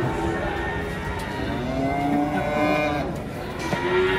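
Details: Cattle unloading from a truck, a long, drawn-out moo with steady, layered tones that holds for several seconds, set against rumbling background noise and faint engine sound.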